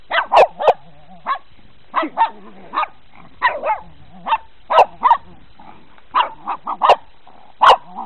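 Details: Pet dogs seeing snow for the first time, barking excitedly: about twenty short, sharp barks in quick irregular runs across eight seconds, with brief quiet gaps between bursts.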